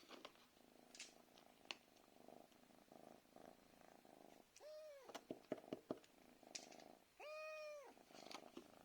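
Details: Domestic cat calling for food in the evening: a low steady purr for several seconds, then two clear drawn-out meows with rich harmonics, the second longer and level, among light tapping sounds indoors.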